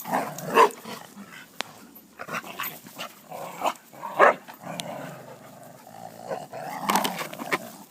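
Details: Dogs playing, one of them called Alea, with rough growls and short gruff barks in uneven bursts amid scuffling, pawing and panting sounds.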